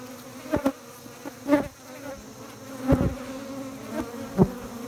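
A steady, low hum of honey bee wings runs throughout, even and unwavering in pitch. Now and then a short knock or click cuts briefly through the drone.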